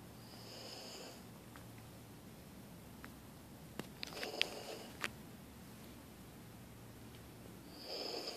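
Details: Denali, a small female husky, snores softly indoors: faint breathy snore bursts near the start and end, with a few sniffs and snorts in between, against a quiet room hiss.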